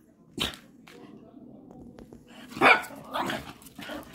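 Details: Patterdale Terriers, black fell hunting earthdogs, playing with a stick; a sharp bark near the start, then a louder broad bark burst around the middle with scattered smaller yaps and rustling.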